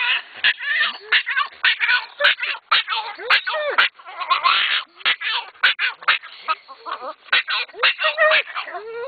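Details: Two excited dogs in a car on the way to a dog park make strange noises: rapid high whines, squeals and yelping cries in quick bursts, mixed with a person talking.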